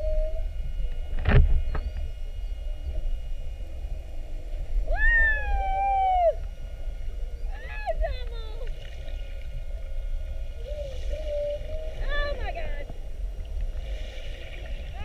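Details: Underwater recording from an hour-long mugging by whales spy-hopping beside a whale-watch boat, 21 February 2019: a loud knock, then repeated buzzy harmonic whoops that rise and fall, each about a second long, separated by pauses, over low rumble.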